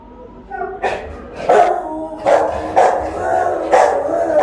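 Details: Rottweiler guarding the house while its owner is away, filmed by a phone camera left recording; a run of five or six loud, short barks roughly half a second apart, each with a brief tonal ring, over a faint low hum.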